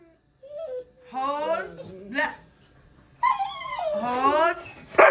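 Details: Dog whimpering indoors in a small room, long drawn whines with wavering, sliding pitch, some rising and falling, broken by short pauses, while a person talks to it, calling it over, offering something and telling it to sit.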